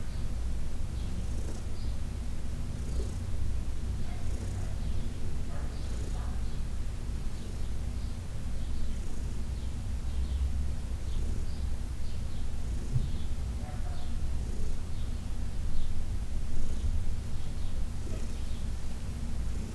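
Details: Heidi, a 14-year-old senior domestic cat adopted from the Humane Society of New York City, purring during a massage; a steady low continuous rumble with faint soft rustling touches above it.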